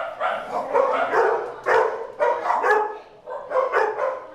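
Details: Dogs playing at Doggie Oasis Day Care let out a few drawn, yelping barks at irregular intervals, about one a second, with a roomy echo behind them.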